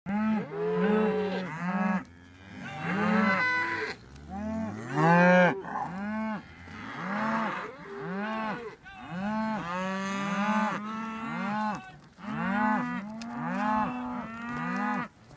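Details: Highland cattle with Whitebred Shorthorn calves being moved to new pasture, following a herdsman's shout to a new field; many overlapping low, harmonic moos, some rising then falling, sounding almost continuously every one to two seconds.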